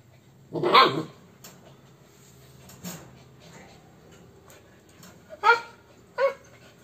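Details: Dogs, a Corgi and an Alaskan puppy, playing together indoors: a loud, short harmonic bark, then a softer yelp near three seconds and two more sharp barks close together near the end, with quiet background between.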